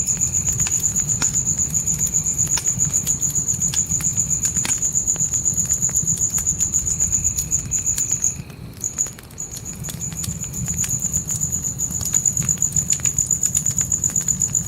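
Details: Night crickets by a forest campfire trill in a high, even pulse, fall silent for about a second midway, then resume, with fire crackles scattered throughout and a soft low rumble.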